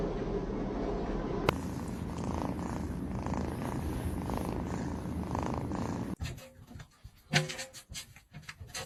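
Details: Domestic cat purring in a steady low rumbling throb for about six seconds, then the purr breaks off and gives way to scattered clicks, knocks and brief higher noises.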